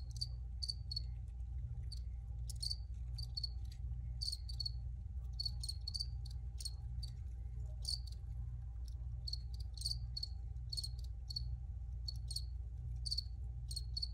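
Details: Several crickets keep up a long run of bright, clipped chirps, about one a second, irregular and sometimes overlapping, above a steady low drone.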